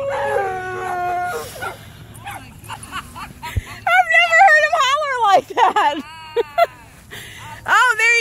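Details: A male Alaskan Malamute named Tonka meets other dogs at a dog park on his second birthday, giving wavering, rising-and-falling woo-woo howls in quick bursts, later a sharp upswept yelp, over human speech.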